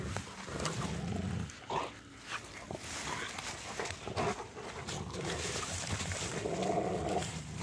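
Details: Rottweilers, three of them, tussling over a stick during a snowy winter walk; low, gravelly growling runs nearly throughout, breaking off briefly near the two-second mark, then resuming steadier and louder toward the end.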